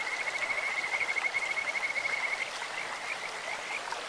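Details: Kajika frog in a clear stream: a loud, high, rapidly pulsed trill for about two and a half seconds, then softer scattered notes, with flowing water throughout.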